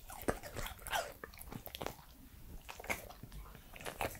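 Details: Pembroke Welsh Corgi, male, three years old, crunching food indoors in close-up ASMR recording; rapid irregular crunches and bites, several sharp loud snaps among steady wet chewing throughout.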